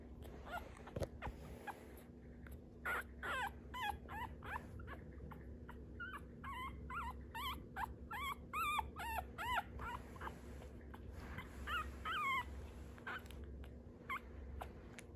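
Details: Dog whimpering in a stretch of high, wavering whines that rise and fall, given in quick runs of short cries with brief gaps, over a steady low hum.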